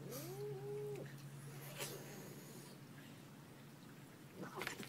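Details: Domestic cat in a funny pet compilation gives one clear meow about a second long, arching up and then holding its pitch, followed by quiet room noise and a steady low hum.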